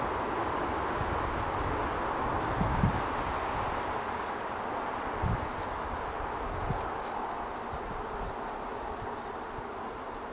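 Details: Honey bee colony found in a cut-down tree and moved to a safe place; a dense, continuous roaring hum of many bees close by, with a few soft knocks and rustles.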